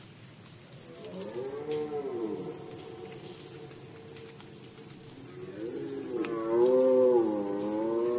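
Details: Red deer roaring in the 2020 rut season in Poland. Two distinct arched bellows, each rising then falling over about two seconds, the second louder and richer, separated by a quieter sustained groan, with rhythmic high ticking behind.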